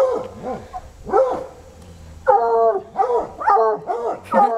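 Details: Two untrained coonhounds baying at a raccoon under a car, still going hours later; overlapping harmonic howls rising and falling in quick succession, several per second, the second dog joining loudly halfway through.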